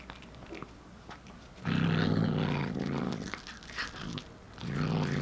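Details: Short-legged tortoiseshell Munchkin cat, a one-year-old female, snarling while gnawing cooked corn indoors. Two bursts of deep, buzzing growl, the first about one and a half seconds long and a shorter one at the end, between soft chewing clicks.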